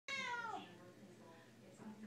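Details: Female Siamese cat indoors, singing along to her owner's favorite Les Misérables song: a short harmonic meow that sags downward at the end, then near quiet before a sharp noise.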